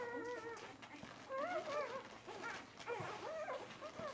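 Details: Four-day-old Bernese Mountain Dog puppies pressing together at their mother's teats; clear, wavering tonal whines rise and fall in quick succession, several pups overlapping, with light rustling between calls.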